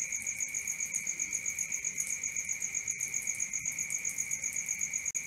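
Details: Cricket calling at night, a bright high trill beating steadily about four times a second, with a few brief dropouts near the end.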